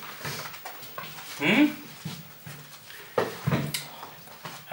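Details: Golden Retriever puppies from a B litter at a breeding kennel in the Westerwald, Germany, indoors in a small room; one short rising whine midway, among soft knocks, rustling and people talking nearby.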